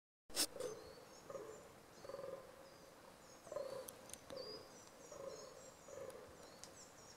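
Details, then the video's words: Fallow deer during the rut, groaning: a series of short, hoarse, mid-pitched grunts repeated roughly every second, rising and falling in loudness, with thin high bird chirps and twitters scattered over a quiet outdoor background. "Dančí říje I."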